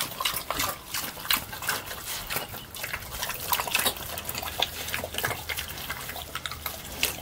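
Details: Pig feeding on slop, loud wet smacks and gulping slurps coming in bursts about every half second, with liquid dribbling and sloshing between bites.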